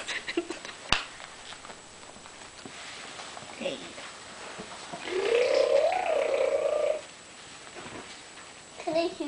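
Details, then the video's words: Bailey, a Pembroke Welsh Corgi, being tickled, lets out a drawn-out, wavering moan-like whine lasting about two seconds midway through, amid quiet background voices and soft handling noises. "Bailey the Corgi - Gets Tickled"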